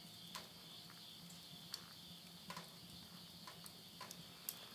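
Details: Countryside insects calling at midnight, end of summer 2020, Tottori, Japan: a constant high, ringing trill under scattered loud pops of a wood fire in a stove and a low background hum.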